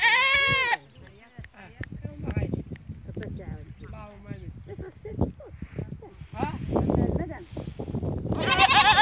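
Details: Goats bleating: a loud, harmonic, wavering bleat opens the recording and another returns at the end, with softer, choppy voice-like sounds and chatter filling the middle.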